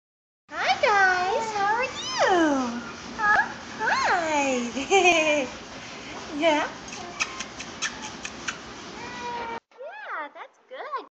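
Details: English bulldog girls playing give high, swooping whines and yodel-like grumbles that rise and fall in quick arcs.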